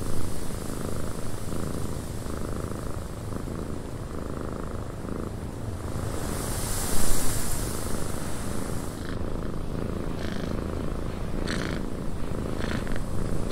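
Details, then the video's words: Low continuous purring from a cat in a windy cabin, with a loud gust of wind midway and a few faint clicks toward the end. "Cat Purring in a Windy Cabin"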